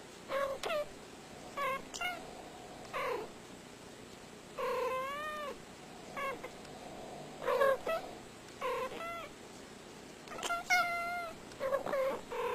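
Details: Domestic cat giving a run of varied meows, some rising and falling in pitch, several short chirping calls between longer wavering cries, repeated every second or two across the recording.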